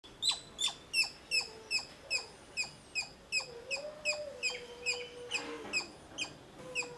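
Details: Squirrel giving short sharp chip calls repeated about two to three times per second in a steady series, with faint low whistles from other birds underneath.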